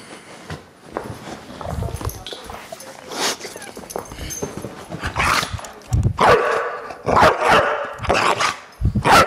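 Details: Deisal the Bulldog reacts against the camera with rough, broadband barks and snorting growls, scattered at first, then denser and louder in the second half.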